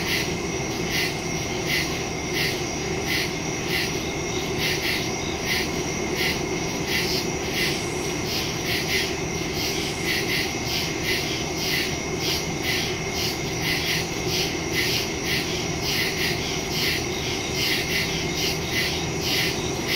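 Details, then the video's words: Crickets in the woods at night, recorded September 2, 2023 using a phone and stereo mic; dense high-pitched chirping in rapid regular pulses, several per second, layered over a persistent low droning hum throughout. "Crickets in the woods at night"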